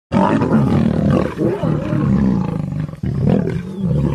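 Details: Lions fighting one another: loud, harsh roaring and snarling fills the recording, a dense growling outburst, a brief dip near three seconds, then renewed rasping snarls.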